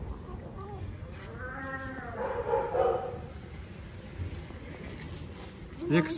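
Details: Tiny stray kitten on an Istanbul street, talking while eating: one arched, tonal mew rising then falling, followed by a rougher, throaty murmur, with steady low traffic rumble and street noise throughout.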